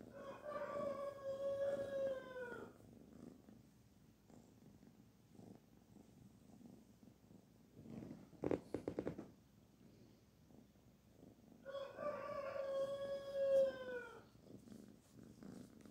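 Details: Kitten Barfi, petted, gives two long wavering meows at start and end with a soft purr between, and a brief clatter of handling noise in the middle.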